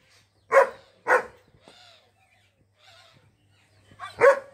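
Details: Female German Shepherd named Ranno, filmed in Mirzapur, Uttar Pradesh, India, gives loud, sharp barks: two quick ones close together, a pause with faint murmurs, then a third bark.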